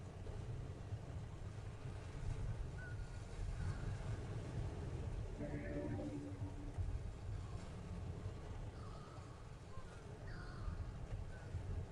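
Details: A steady low rumble like an engine or vehicle, with a few faint voices and no clear animal sounds.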